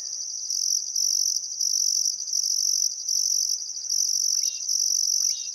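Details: Sunset chorus of crickets beside the Barcoo River, Welford National Park, Outback Queensland, still summer afternoon: constant piercing high trill with higher pulsed phrases about every half second, plus a couple of quick rising bird chirps late on.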